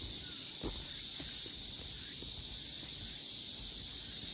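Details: High, unbroken buzzing of cicadas fills a summer forest path at Deogeumsan Solbaram-gil, Namwon, Korea, 16 August 2019, with a few soft thuds of footsteps underneath.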